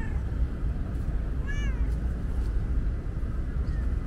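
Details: A thirsty female tabby cat outdoors on a hot day gives a single short, downward-bending meow midway through, against constant low-pitched traffic-like rumble.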